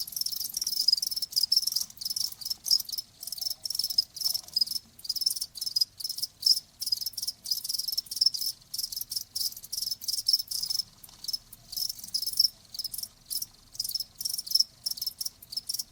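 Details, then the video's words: Insistent high cricket chirps repeat steadily in quick pulsed trills with short breaks. One or more crickets keep up the chorus against a quiet backdrop. "이명에 좋은 소리 ㅣ 자연의 소리 ㅣ 귀뚜라미 1시간"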